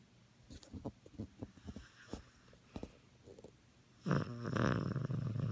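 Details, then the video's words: Maltese dog snoring loudly after his bath, indoors: soft, irregular breathy clicks and snuffles give way to a sustained, loud, rasping snore in the last second and a half. "Holy crap my little dog snores"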